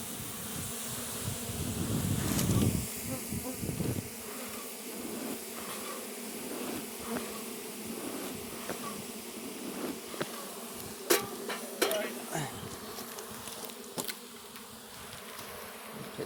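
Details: Buzzing of Russian honey bees as their hive on a red stand is opened for the first time; continuous droning hum, louder swell early on, with scattered clicks and knocks of handling.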